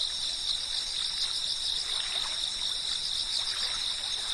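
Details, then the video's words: Brief stretch of cicada chirping, a steady piercing high drone of overlapping shrill bands, unbroken from start to end, over soft background hiss. "I found myself relaxing amidst the sound of such insect chirping."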